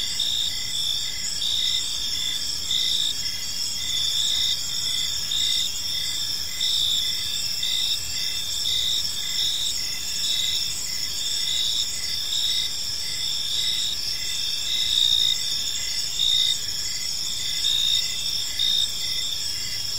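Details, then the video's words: Several crickets sing at evening in a serene park, producing a constant bright shrill drone with pulsed chirps sounding at irregular intervals of a second or two, steady throughout with quiet rumbling background. "Park Serenade: Cricket Sounds in a Peaceful Park"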